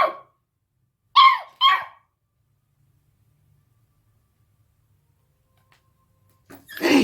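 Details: An 8-week-old beagle puppy barking at a deaf cat gives a few short, bright yips and barks with gaps of silence between.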